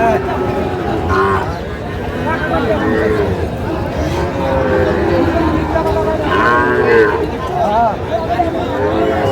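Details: Sahiwal bull calves at a cattle market in Kushtia, Bangladesh, recorded 8 May 2025; several drawn-out, wavering moos rise over constant crowd chatter and men's voices haggling.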